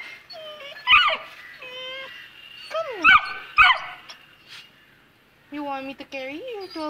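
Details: A Saint Bernard puppy two months old hesitates at the top of the stairs and gives thin, sliding whimpers mixed with short yelps. Near the end comes a long, wavering, rising-then-falling whine, with a person coaxing it in the background.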